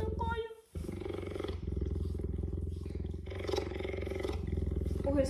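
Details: Pet cheetah in her house while her keeper comes to clean the windows: a low continuous rumbling purr, its fast pulses steady throughout, with a woman speaking softly and brief handling noises over it.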